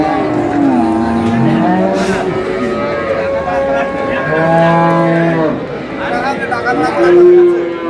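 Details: Cows with calves at Ambari market in Dinajpur, 24 April 2026, lowing repeatedly: a chain of deep, harmonic moos that slide up and down in pitch, some overlapping, over a busy market background.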